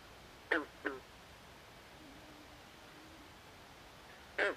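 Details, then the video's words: At night in a swamp, a frog gives two short quack-like croaks close together, then silence before one more drawn croak near the end; faint distant calls and quiet hiss behind. "Natural Ambient Sounds Of Frogs At Night"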